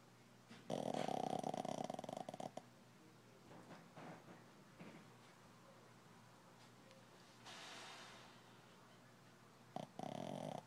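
A Shih Tzu snores in loud, rasping bursts separated by quieter breathing.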